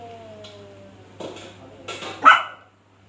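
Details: A dog barking at a cat. A thin, falling whine opens, followed by three sharp, harsh barks spaced about half a second apart, the last the loudest, with a faint low hum underneath.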